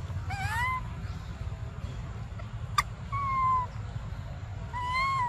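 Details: Hungry baby monkey Briar cries for milk with three plaintive whistled calls, the first rising steeply, the others level and drawn out. One loud snap in between and a continuous low rumble.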